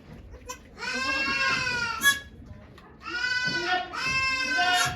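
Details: During her delivery of twin kids on 3 May 2023, the Yoshigake Farm goat Okayu gives a drawn-out strained bleat, a short squeak, then two more nasal bleats in quick succession.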